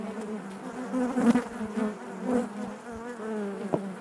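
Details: Inside a honey bee hive, a continuous low droning buzz with layered harmonics, rising briefly in loudness near the middle as individual bees pass close, then settling back to an even hum.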